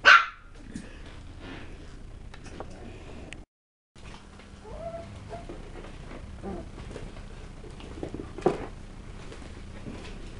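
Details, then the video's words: West Highland White Terrier puppies: one sharp bark at the start, then soft whimpers and small yips scattered through a quiet room, with a brief gap of silence. "Puppies - Tricks and Threats - West Highland White"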